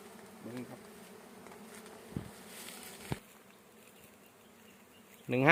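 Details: Dwarf honey bees at their nest on a roadside bamboo while the colony is being collected. A faint, steady, low buzzing hum continues throughout, with a few soft knocks and a man's voice breaking in at the end.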